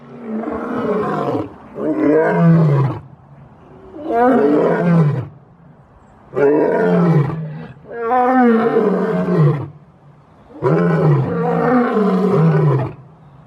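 A lion roars in deep, drawn-out bursts, each rumbling call falling in pitch and repeating every few seconds.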